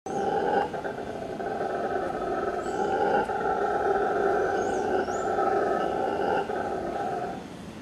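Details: Howler monkeys calling in a backyard: a deep, continuous roaring drone that holds steady for the whole stretch, swelling slightly, with small bird chirps heard high above it.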